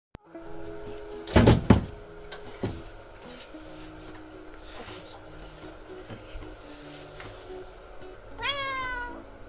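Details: A female Russian Blue cat begs for food as her owners prepare to go out. She gives a brief, bright meow that rises then dips, over soft background music, and is given a single treat.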